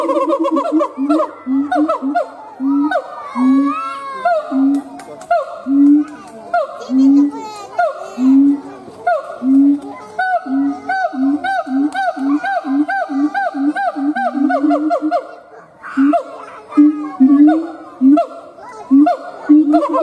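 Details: Howling siamang gibbon, male: a sustained bout of loud, regularly pulsed harmonic hoots interwoven with squealing upward glides and chattering barks, pace quickening midway before a short lull and renewed rhythmic calling.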